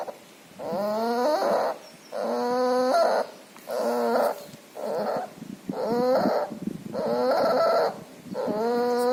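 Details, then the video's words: Puppy sick with pneumonia and distemper, with nasal discharge, breathing loudly: each breath carries a whiny, harmonic squeal, about seven noisy breaths in nine seconds with short gaps, over a steady high background hiss. "Puppy has pneumonia and distemper. Loud breathing noise and nasal discharge."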